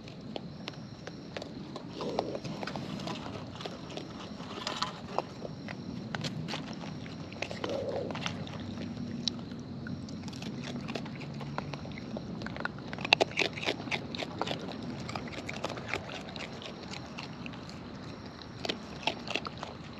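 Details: Wild raccoons (Procyon lotor), filmed close up while eating, give a steady run of wet crunches and sharp clicking bites as they chew.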